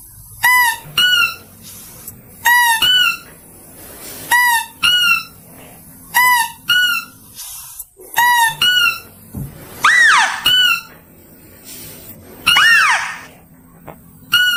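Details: Mouse-deer lure call: repeated pairs of sharp, squeaky notes about every two seconds, with two louder, broader swooping squeals mixed in near the end.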